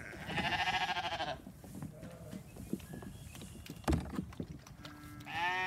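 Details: Sheep receiving hay while a newly born ram lamb is hungry; a strong, trembling bleat pulsing about ten times in a second, then rustling, knocks and a thud, and a fresh bleat starting at the end.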